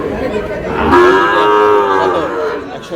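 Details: At a cattle market, Sahiwal breed bull calves destined for Cox's Bazar: one long, arching bellow swells after about a second and holds for well over a second, with a man's voice and background chatter around it.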